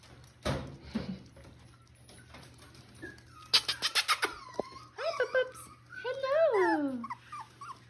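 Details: Six-week-old Miniature Schnauzer puppies from the Joy and Kaiser litter play with their mother at a breeder in Mission; scattered taps and scuffles give way to a burst of high, wavering whines rising and falling near the end, with a person talking.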